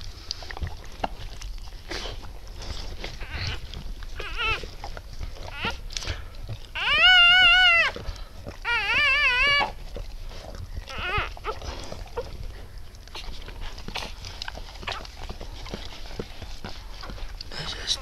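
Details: Newborn Siberian Husky puppies from a litter of eight born to Shony on 12 December 2015 around 20:30; two short, high, wavering squealing cries a couple of seconds apart amid rustling and low background noise.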